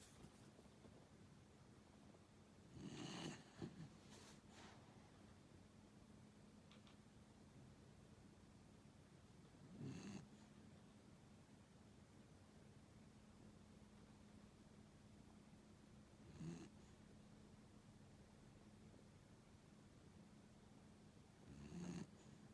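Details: A 15-year-old elderly dog snoring, with four rough, throaty snores spaced about six to seven seconds apart over a quiet, low background hum.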